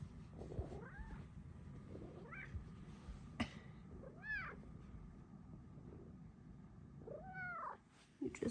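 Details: A female Bengal cat cuddling with her owner gives several short, arching meows that rise and then fall in pitch, over a low background rumble.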